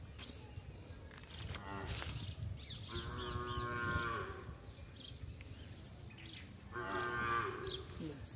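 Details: Desi cow during cleaning: a brief lowing sound, then two sustained, harmonic-rich moos about four seconds apart. Between them come thumps, clatter and faint chirping.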